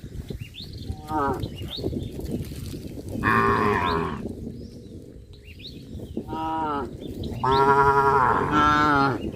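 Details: A herd of cows walking and jumping in a rice field on a traditional village farm; several loud, harmonic moos, some rising then falling, come in bursts at about one, three, six and eight seconds over rustling background noise.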